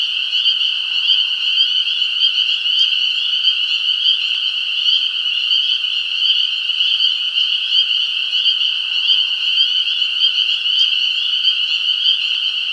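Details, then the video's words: Frogs keep up a steady high-pitched trilling chorus with rich overtones, slightly pulsing. Two faint clicks break through briefly, near three and eleven seconds. "Frogs - sound effect"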